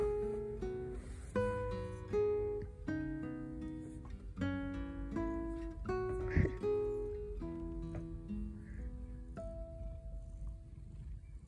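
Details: Acoustic guitar music with plucked and strummed notes fills the recording, with a faint voice in the background.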